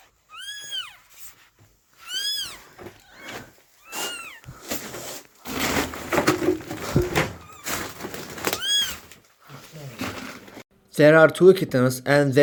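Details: Abandoned kitten, rescued after two days frozen in the snow at -11°C, gives high, arched meows, rising then falling, in scattered bursts about every two seconds, between stretches of rustling handling noise and a low human voice.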